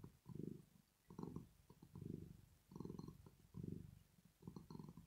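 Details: Sleeping female cat Rosetta purring in contentment: thick low buzzing swells rise and fade roughly once a second, with short quiet gaps between breaths.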